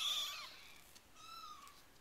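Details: Four-week-old RagaMuffin kittens of the Winter Wonderland litter: two thin, high meows, the first starting loud and sliding downward, the second softer and level, with a short quiet gap between them.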